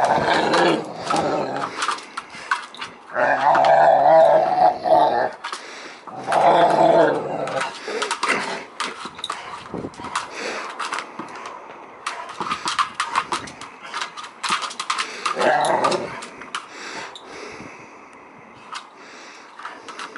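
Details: Amorè, a two-year-old Rottweiler service dog, growls while playing with and talking to her Varsity ball; bursts of throaty, rumbling growls come in long runs, broken by short pauses and scattered knocks and rustles of play.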